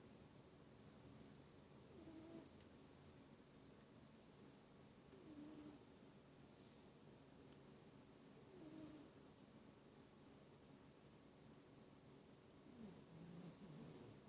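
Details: Domestic cat snoring while asleep: soft, low, breathy swells rising and fading roughly every three to four seconds over a steady faint hiss, with no other voices or animals.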